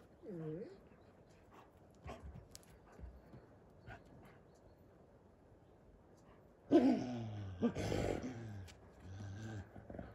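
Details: Captive wolves living outside a hotel in Järvsö, Sweden: a brief wavering whine opens, then after quiet a loud burst of rough, harmonic whimpering and growling calls that repeats for several seconds.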